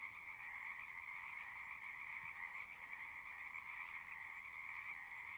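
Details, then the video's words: Continuous singing of many frogs, a dense shimmering trill chorus that never breaks, two steady high-pitched layers at a constant moderate loudness, nothing else clearly heard. "One hour of singing frogs."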